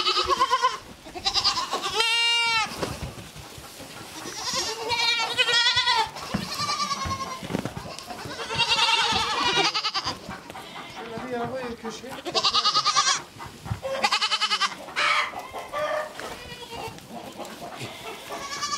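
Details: Baby goats bleat in a playground set up for them, a busy chorus of wavering, quavering bleats from several animals, overlapping and following one another every second or so, with some rustling between calls.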